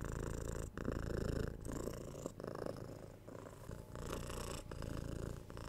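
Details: Close, loud purring from a domestic cat. A rich, vibrating low drone interrupted by brief pauses between breaths, repeating in cycles of under a second.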